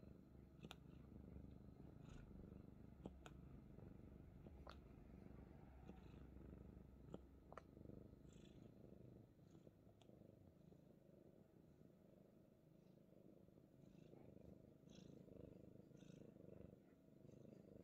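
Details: Himalayan Persian cat held like a baby, purring continuously; a deep rhythmic rumble with fast regular pulses fills the recording, broken by occasional light taps and handling rustles.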